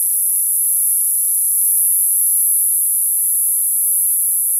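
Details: Cicadas in summer singing a steady, unbroken shrill hiss-like drone high in pitch, constant in volume from start to finish, with nothing else clearly audible.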